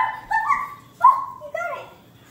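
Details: Bernese Mountain Dog chasing bubbles, giving three drawn-out, wavering whining yowls of rising and falling pitch, each under a second long, with a faint low hum beneath.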